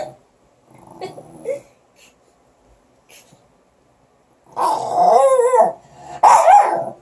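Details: Morkie puppies fighting over a stick: quiet at first, then a burst of rough growling mixed with high, wavering yelps and whines over the last few seconds.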